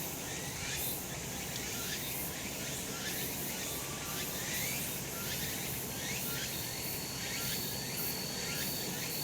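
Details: Cicadas calling on a sunny summer mountainside: a dense, buzzy chorus of rasping pulses sweeping up and down, with a thin steady high whine running through and a soft low rumble underneath.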